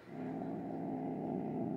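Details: Pet cat growling steadily before nail clipping, described as unusually grumpy and hissing for a long time though normally calm; a low, continuous rumbling growl fills the whole stretch.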